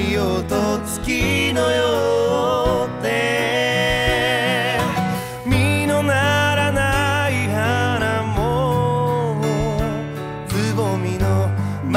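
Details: A country-style song plays throughout, with a singing voice over plucked guitar and steady bass, and no animal sounds.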